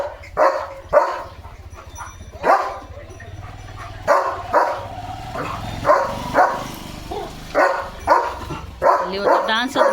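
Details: Leo, a pet German Shepherd, barking as rain arrives; short loud barks come in uneven bursts of one or two, mixed with a person talking and calling to him in Marathi.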